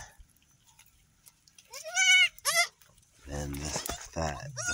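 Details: Newly born female kid goat on an off-grid Ugandan homestead, just managing to reach the teat after birth; two quavering high bleats in quick succession, followed by a man's speech and background music.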